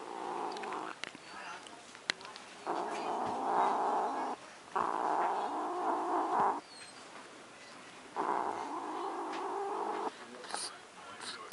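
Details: Pet cat guarding her macaroni and cheese, making repeated low moaning growls in three long bouts of about two seconds each, separated by short pauses, with quiet household background.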